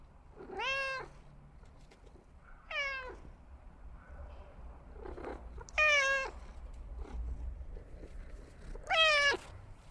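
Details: Cat meowing four times at irregular intervals, each meow short and falling in pitch at its close, with a few softer murmurs between them over a low rumbling background.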